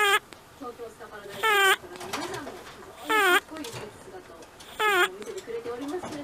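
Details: Old pet rabbit, eleven years of age, asleep and giving a whistling 'pee-pee' snore: three loud, squeaky, rising whistles spaced about one and a half seconds apart, with softer wheezy breaths between them.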